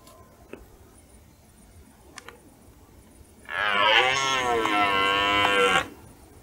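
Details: A red deer stag bellows during the rut as dusk falls over a meadow. After several seconds of near silence with small clicks, one sustained, gravelly roar with a steady, slightly wavering pitch lasts over two seconds.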